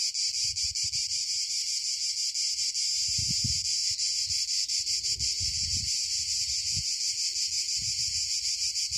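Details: Southern Italian cicadas keep up a dense, rasping, high-pitched drone with a rapid, slightly uneven pulse, while low thumps and murmurs sound now and then beneath the chorus.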